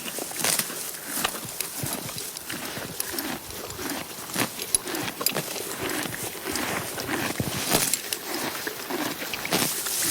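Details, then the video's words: A horse feeding on grass, with irregular crunching bites and ripping snaps roughly one to two per second, and a low rustle of grass under the chewing. "HORSE EATING GRASS SOUND EFFECT"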